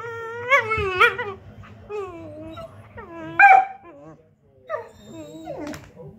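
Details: Whippets singing: a series of wavering, whining howls with bending pitch, several overlapping voices, short yips between, loudest burst past the midpoint, then trailing whimpers.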